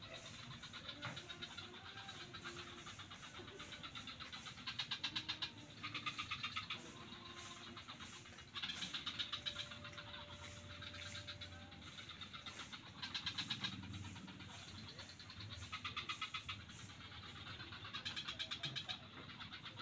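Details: Chorus of frogs in swamps near Kuta beach, Bali: bursts of quick clicking pulses, each about a second long, recurring every couple of seconds over a low continuous rumble.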